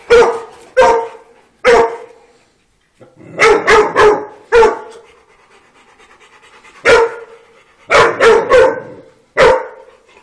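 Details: Dogs playing on a farm: sharp, mid-pitched barks in short bursts of one to four, about twelve in ten seconds, separated by brief quiet pauses.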